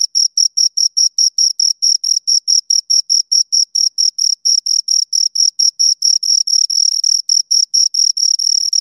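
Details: Pair of crickets giving a steady string of shrill chirps, about four per second, the pulses merging into a near-continuous trill toward the end; background silent.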